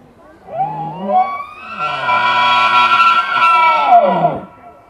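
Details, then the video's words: Deer stag during the rut in a large enclosure at Wildpark Altenfelden, giving one long, loud, drawn-out harmonic bellow that starts low, swells and holds for several seconds, then drops away at the end. "Hirschbrunft im Wildpark"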